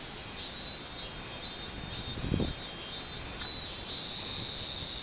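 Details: Minminzemi, the robust cicada, on 24 July 2016, singing a high, pulsing buzz that swells and fades about twice a second before settling into a continuous drone near the end.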